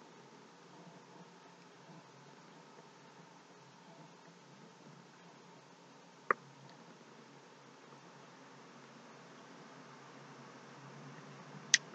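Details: A quiet indoor room with faint hiss and two sharp clicks, and no animal voice.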